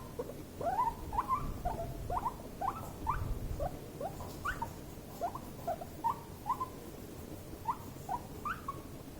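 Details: Two guinea pigs in a stressful, escalating clash: a rapid run of short, rising, whistled squeaks, about two every second, with soft rustling below.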